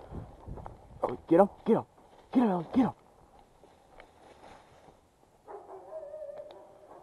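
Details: Ellee, a black Labrador Retriever working as a squirrel hunting dog on a hunt in the Northwoods: four sharp, loud barks in two quick pairs, followed by quiet outdoor rustling and a brief murmur of human voices.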